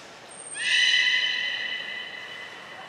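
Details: Beluga during a training session with Grey and Mirai at Port of Nagoya Public Aquarium, 15 June 2022: one long, steady, harmonic-rich whistle begins abruptly, holds an even high pitch for over two seconds, then slowly fades.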